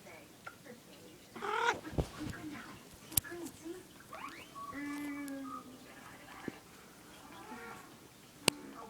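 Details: Domestic cat making random sounds: a short harmonic meow-like call near the start, then a longer, steadier drawn-out call in the middle, with a few sharp clicks and a low background hum.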